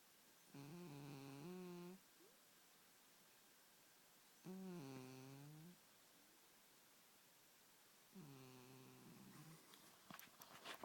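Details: Snoring of a sleeping house cat: three droning, nasal snores around a second and a half long, roughly every four seconds, the pitch sliding slightly within each breath, ending with light rustling.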